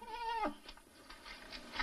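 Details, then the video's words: Nutria during mating giving one drawn-out, nasal, harmonic cry that holds steady and then drops sharply at its end, followed by soft rustling and scattered faint noises. "Nutria mating"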